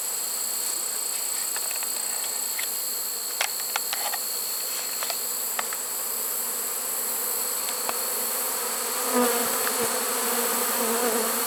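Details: Honey bee swarm settling into a trap on 1 September 2019, late in the season: a continuous buzzing hum with sharp clicks and knocks scattered through it and a louder, fuller drone toward the end.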